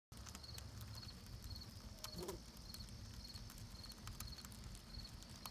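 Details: Bees chewing propolis give irregular dry crackling clicks, while a steady high chirping repeats about twice a second and a low rumble runs underneath.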